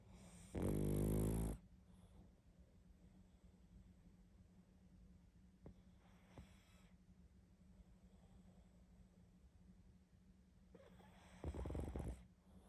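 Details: Loud snoring pug in sleep: a strong rattling snore, a long quiet stretch of faint breathing, then another snore near the end.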